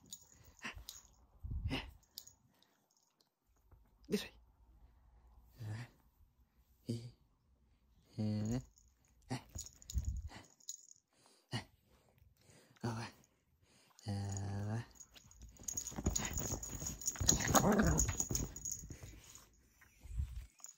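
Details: Chihuahua indoors giving short harsh grumbling vocal bursts at irregular intervals, some rough and buzzy, amid a person's exclamations of pain and a long burst of scuffling noise near the end.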